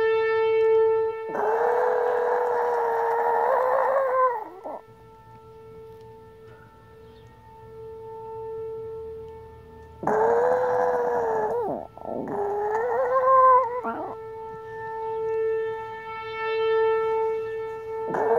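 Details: Elderly pet Chihuahua Mia howls along with a passing siren: two long, strained, wavering howls a few seconds apart, each several seconds long, over an unbroken, steady siren tone that continues between them.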